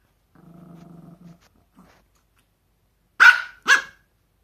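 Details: Pomeranian dog with socks: a low, steady, buzzing growl for about a second, a couple of brief grunts, then two loud high-pitched yaps close together.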